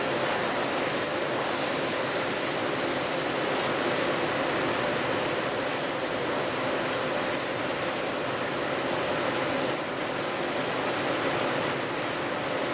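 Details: Japanese pine cricket singing from city shrubbery in early autumn: short, bright, high chirps in clusters of two to four, separated by pauses of one to two seconds, over a faint steady hiss.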